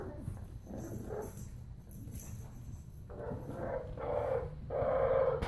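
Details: French bulldog puppies in Calgary giving drawn-out, nasal whining notes that grow louder toward the end, with a steady low rumble underneath.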